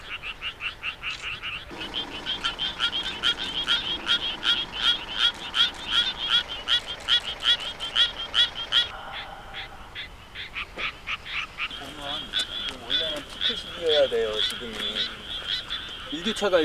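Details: Suweon treefrog calling: rapid trains of short, raspy pulses repeated about two to three times per second, with a change in rhythm midway and a shorter, different chorus of pulsed calls near the end.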